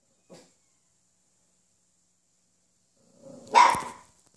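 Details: Black female French Bulldog puppy with a white nose gives one short, squeaky yelp near the end, after a faint tick and a long quiet stretch.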